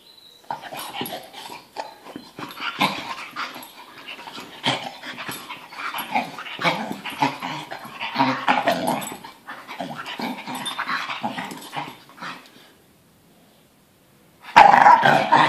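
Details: Pet dog relaxing on a sofa indoors, making continuous low rumbling growls and grumbling vocal sounds through most of the recording, with a short pause near the end before a loud burst of sound.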